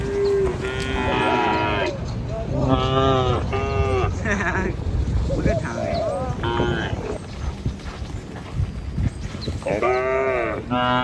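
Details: A herd of dozens of tame cattle is herded over a river bridge on the morning walk to the village and fields. Repeated, overlapping moos of varying pitch sound from several animals over steady background rumble and shuffling.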